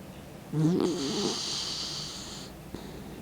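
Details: Sixteen-year-old dog Mick snoring in his sleep, tongue sticking out: one throaty, rattling snore that fades into a steady breathy hiss for about two seconds, in a quiet room.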